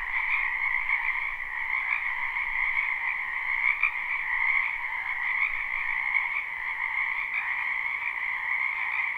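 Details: Live spring chorus of wetland frogs: a constant rolling trill of many overlapping croakers, holding two layered tones, with occasional louder individual calls poking above the even hum.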